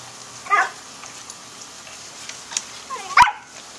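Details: Puppies playing in a pool on May 15, 2011: two short, high yelps with a bent, whiny pitch, the first near the start and the second near the end, with a quiet wet background between them.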